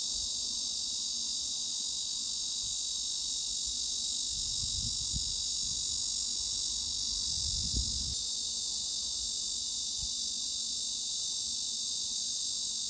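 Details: Continuous high-pitched cicada drone used to mask tinnitus, flat and even from start to finish, only the shrill band left, with brief soft low bumps near the middle.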